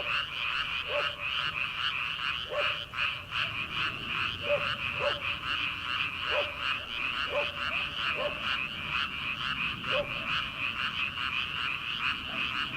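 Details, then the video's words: Rice-paddy frogs at night as summer begins, before planting, in a dense chorus of quick repeated croaks, punctuated by louder single croaks every second or so, under open night air. "초 여름 개구리 울음소리/ 논에서 들리는 개구리 소리"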